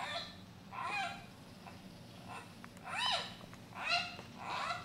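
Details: Giant panda cub Yuan Zai, hand-reared at a zoo, gives calls later played from a doll to its mother Yuan Yuan: arched, squeaky chirps rising then falling, repeated about once a second over a low steady hum.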